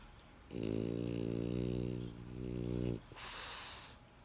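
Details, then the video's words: French Bulldog snoring: a loud, rough, buzzing inhale lasting about two and a half seconds with a low rattling tone. A softer, breathy hiss of exhaled air follows, in a quiet indoor setting. "French Bulldog Snoring"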